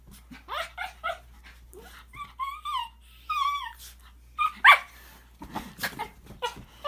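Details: A pet Shih Tzu indoors, coaxed into making weird noises: a few short yips, then two drawn-out wavering whines that rise and fall, followed by more brief yelps, with a man's voice in between.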